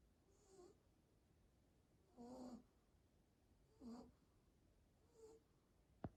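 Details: Snoring Shih Tzu, with four soft wheezy, whistling snorts spaced about one and a half seconds apart, ending in a brief sharp click.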